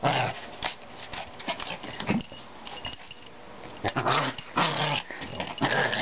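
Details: Pet Maltese dog growling and snorting in rough, noisy bursts of uneven length, a continuous harsh grumble with louder peaks toward the end.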